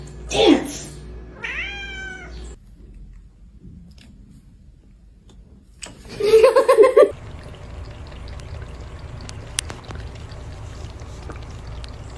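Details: Domestic cat from a funny cat compilation, giving a drawn-out, arching meow with rich harmonics, followed by a louder, harsher burst of calling over a steady indoor background hum.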